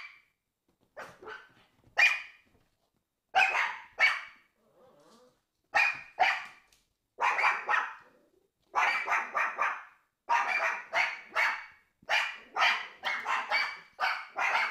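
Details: Barking from Pomeranians Prince and Fifi: bright, high yaps, sparse at first then growing faster and denser into steady runs of rapid barks toward the end.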